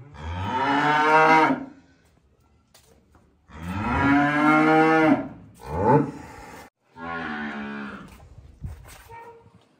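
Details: Cow calves moo in long, harmonic-rich bellows, a low drawn-out call near the start, a second longer one after a pause, then shorter rising and falling moos, with brief quiet gaps between.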